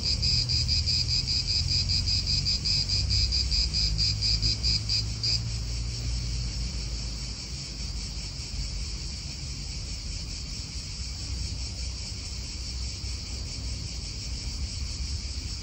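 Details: Cicadas buzzing in an Italian park, a loud rapid pulsed drone that drops in strength after about five seconds and carries on softer, with wind and nearby car noise low in the background.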